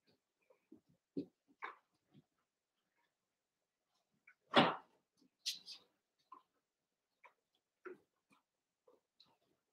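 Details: Overnight puppy-cam recording from 27 August of Cavalier King Charles Spaniel puppies Cooper, Conner and Jenny, born 06/09/2022 with Ruby and Blenheim coats: scattered soft whimpers and squeaks, one loud yelping bark midway, then more brief whines in a quiet room.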